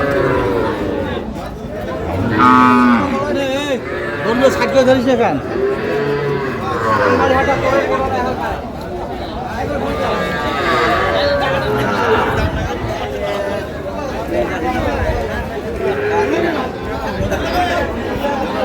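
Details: Young bulls and heifer calves at a Pabna cattle market in Bangladesh on 12/5/25; several lowing calls overlap amid constant crowd noise and haggling voices, with no clear rhythm to the calls.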